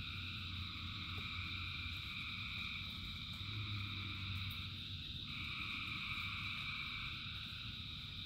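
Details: Thousands of frogs singing in rain: a dense, unbroken chorus of trilling bands, with a middle band stepping higher about five seconds in, over a low rumbling layer and steady rain hiss.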